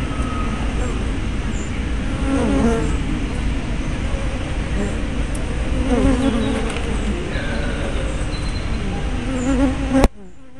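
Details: Busy bee hive entrance filmed 24 May 2012 on a spy cam with fisheye lens: continuous dense buzzing from many bees, wavering hum tones rising and falling as individuals pass, ending in a sudden cut to quiet.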